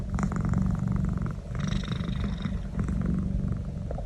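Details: Naz, a pet cat, enjoying a neck massage: a steady low rumbling purr runs throughout in fast pulses, with faint higher voiced murmurs rising over it now and then.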